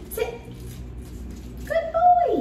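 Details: Plott Hound named Shiner, a nervous dog in fear aggression training in San Antonio, gives a short high whine that holds steady then slides downward, following a man's quiet words of praise.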